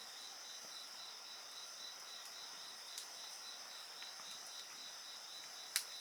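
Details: Steady, ringing insect chorus made of high continuous trills and a rapid stuttering pulse, accompanied by soft fire crackle and one sharp, loud snap from burning logs toward the close.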